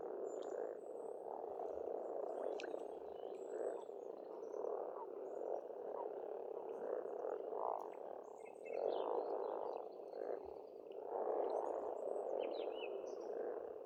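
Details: Many frogs croaking together at an Estonian pond in spring, the chorus swelling in pulsing waves that grow louder toward the end, with a few faint bird chirps overhead.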